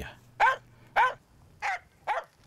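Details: Finnish Spitz hunting dog barking under a tree to tell the hunter it has found a forest grouse and to hold the bird's attention: four sharp, ringing barks about half a second apart, with a steady low hum behind.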